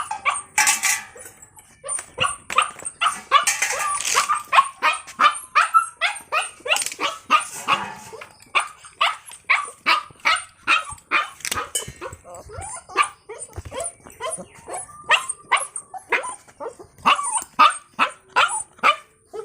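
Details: Puppy dog barking rapidly and almost without pause: dozens of sharp high yaps, roughly two or three each second, varying in loudness, with a squealing burst near the start.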